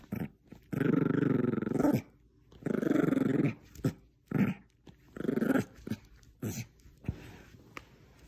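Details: Female Bichon Frise tugging on a small stuffed squirrel toy in a small room, growling in sustained rumbling bursts of about a second each, repeated five times with short pauses, plus faint toy crunching.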